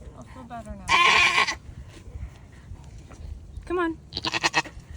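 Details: One loud, coarse bleat from Nigerian Dwarf doe Maggie during her first delivery of twins in Northern California, followed by a woman's talk and rustling sounds.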